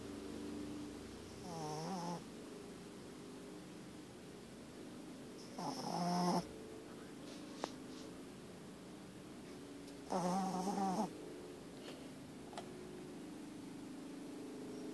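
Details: Loud snoring from a dog lying with its eyes open, three rasping, vibrating snores spaced about four seconds apart, each lasting under a second, over a constant low room hum and occasional small clicks.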